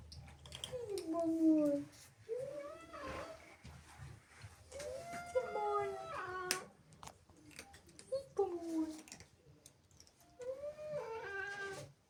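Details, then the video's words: Female house cat angered and jealous at kittens sneaking into her home, uttering repeated short bending yowls in bursts every two to three seconds, with rustling and tapping noises in between. "Angry cat makes incredible sounds"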